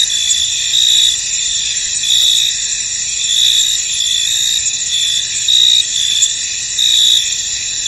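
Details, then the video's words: Misty field alive with crickets: a continuous high insect trill, brighter chirp bursts standing out at uneven intervals of about one to two seconds, no birds, wind or voices. "Tranquil Cricket Sounds In An Misty Field"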